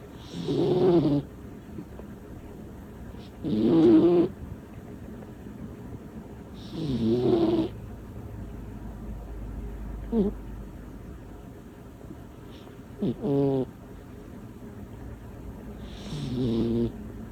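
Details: Little female cat snoring loudly: deep rasping breaths in bursts roughly every three seconds, each lasting about a second, with quieter shorter snorts between them and a soft steady background hum.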